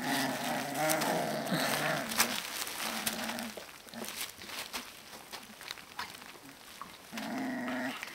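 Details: Alaskan Malamute puppies, 18 to 25 days old, give drawn-out low harmonic growling and whining sounds in two long bouts, with a quieter gap of scattered clicks and rustling between them.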